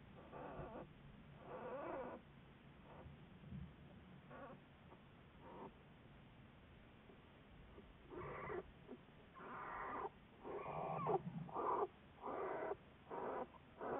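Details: American black bear Juliet, a Wildlife Research Institute study bear, February 10, 2014. Faint scattered calls build into a fast series of short harmonic squalls, some rough and stuttering, over a low rumbling hiss.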